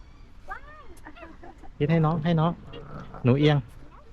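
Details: At Safari World, a young camel during feeding lets out three short, loud, harsh low groans, the second longer than the first, while people chat softly nearby.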